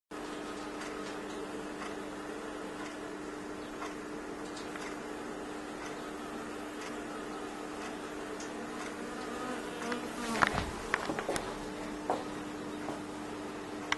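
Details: Thousands of honey bees swarming inside a fireplace stove, an indoor invasion: a steady, dense droning hum holds throughout, with brief clicks and knocks near the end.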